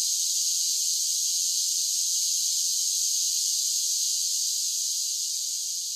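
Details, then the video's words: Cicadas in summer chorus, a steady shrill buzzing hiss held at even loudness throughout, with a faint easing at the very end and no other sounds. "10 Hours of Cicada Sounds for Relaxation with Soothing Summer Nature Sounds"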